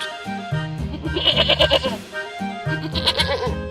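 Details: Goat bleating in a tremulous, quavering burst, followed by a shorter wavering bleat near the end, mixed with lively background music and a steady bass beat.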